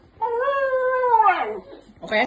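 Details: Dog answering its owner with a steady, mournful howl lasting over a second that sags lower at the end, and a short burst of human voice right after.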